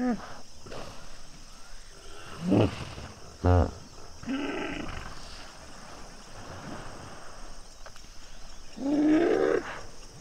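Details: Common hippopotamus pod at sunset at Duba Plains in the Okavango Delta: scattered low grunts and a short pulsed honk, then a longer rising harmonic call near the end, with quieter rumbling and background sounds between them.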